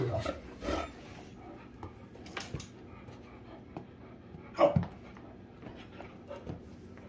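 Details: Great Danes Rhapsody and The Heartbreaker play affectionately. Scattered short breathy huffs and snorts sound across the stretch, with one louder sharp burst partway through, over a low, quiet background.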